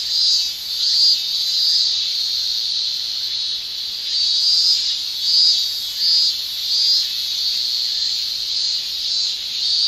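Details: Male Japanese cicadas shrilling in summer, a dense continuous high buzz with gentle pulsing swells roughly every second, no other sounds standing out.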